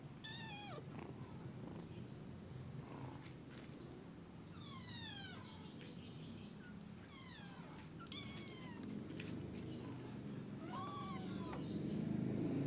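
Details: Early-morning kitten mewing repeatedly, thin high cries that sweep down in pitch, coming every second or two over a broad rumbling background noise that grows louder toward the end.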